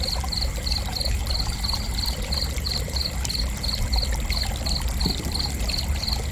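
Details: A single cricket keeps up an unbroken run of bright, high chirps, roughly three to four each second, evenly spaced throughout, against a continuous low-pitched noisy background.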